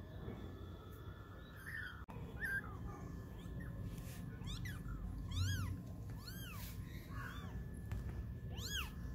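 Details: Kittens of 20 days, playing and learning to walk, produce a quick series of short, high, arching mews in the second half, against heavy low rumbling and handling noise.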